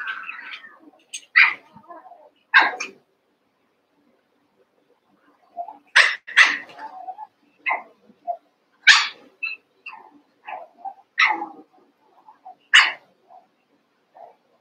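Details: Eight Cavalier King Charles Spaniel puppies playing after Daisy's six and Robin's two are put together: sharp, high yips and small barks come in irregular bursts, some in quick pairs, with short silent pauses between.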